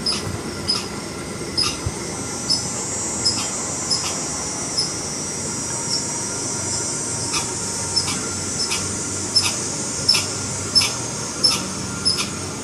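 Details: A red squirrel gives a long run of alarm calls, nearly twenty clipped, high chipping notes repeated at a brisk, slightly irregular pace, with a steady hum and faint tonal whine behind.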